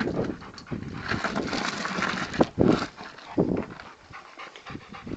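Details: Rottweiler playing with a tyre, its favourite toy: rapid, breathy panting, with a few louder huffs near the middle.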